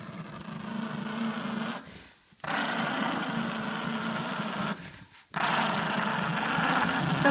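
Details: Grumpy male Chihuahua growling before a bedtime toilet trip, a steady low rumbling growl in two long bursts broken by short pauses, while a man coaxes him to come on and stop being silly.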